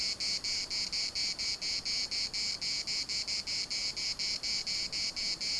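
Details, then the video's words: Cicadas singing in the municipal park of Larnaca: a loud, high, rasping buzz broken into steady pulses, roughly four per second, each pulse even in strength, with the pattern holding unchanged throughout and little else audible beneath it. "CICADAS at the municipal Park Larnaca"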